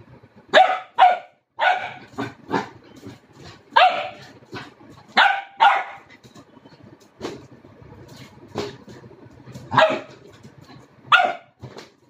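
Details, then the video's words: Chino, a four-month-old Labrador Retriever puppy, barks while playing with a red balloon: short sharp barks, some in quick pairs, spaced irregularly over twelve seconds, with faint rustling and low background hum between them. "Cute Labrador (Chino) playing with red baloon and barking."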